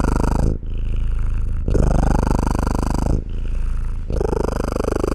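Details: Purring house cat, close and steady, with a deep fluttering drone that swells and eases in cycles of roughly one to one and a half seconds as the breath changes direction. No background noise.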